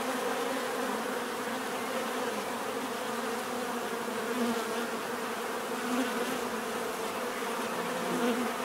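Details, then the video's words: Many bees give a steady, dense drone of overlapping buzzes, humming in a low band with faint higher hiss, continuous and even in loudness throughout, recorded for relaxation as a natural buzzing ambience. "bees therapy relaxing natural buzzing sound"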